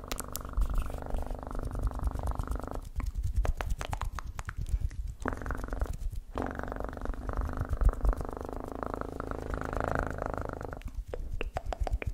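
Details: Continuous deep purring from a house cat, a thick rumble that rises and falls with each breath over twelve seconds, with faint clicking in the quieter gaps.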